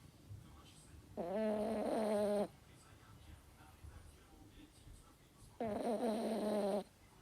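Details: Toy terrier dog asleep and snoring: two buzzy, harmonic wheezing snores, each just over a second long, about four seconds apart, in an otherwise quiet room.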